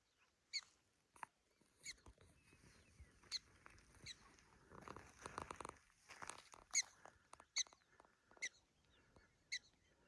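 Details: Prairie dogs on the Big Plateau Trail, Theodore Roosevelt National Park, South Unit: about ten sharp, short chirping barks, spaced roughly one second apart, with a stretch of rustling, windy noise in the middle.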